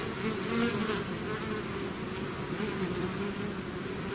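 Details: Many bees buzzing as a swarm exits its hive, a dense low whirring with a slightly louder pass near the start, then an even continuous drone.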